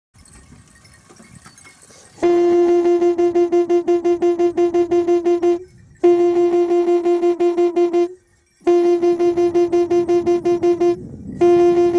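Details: Plucked guitar music with steady, rapidly repeated notes in bursts, broken by short silences, after a quiet stretch of faint outdoor background noise; no animal voices.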